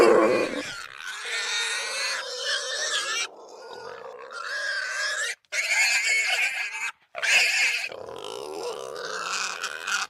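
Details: Wild boar (Sus scrofa) in a forest at night, giving loud, harsh squeals and grunting whines in long bursts broken by brief pauses; such calls serve to communicate with the group, warn of danger or express agitation.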